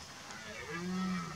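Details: A red deer stag gives a deep, drawn-out rutting bellow in September, low and throaty with a steady droning tone, as males compete by roaring for access to mating.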